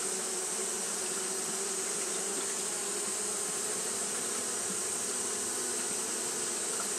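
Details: On a hot day Japanese honey bees keep up their fanning behaviour, giving a constant low hum layered under a bright, hissing wash of wingbeat noise that never pauses or changes in volume.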